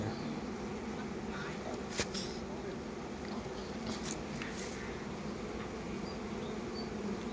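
Honey bees hum as a steady, low, droning buzz, with a few sharp clicks above it.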